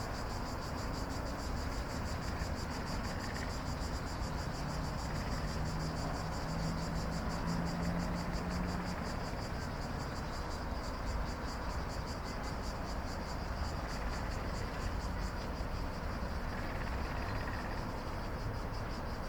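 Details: Cicadas calling after dark give a constant rapid-pulsed buzz, with a strong low droning rumble and a faint low tone passing midway.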